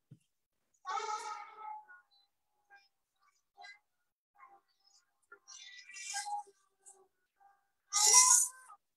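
An Asian elephant gives a loud, brassy trumpet, a bright harmonic blare that peaks near the end. Shorter, quieter calls come earlier, and a voice may be heard faintly in an indoor room.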